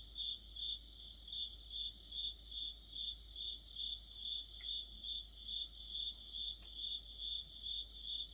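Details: Crickets with other insects singing in mid-autumn, a ringing high trill throbbing steadily about two and a half times a second, joined by a higher chirper in clustered bursts; two brief faint clicks partway through.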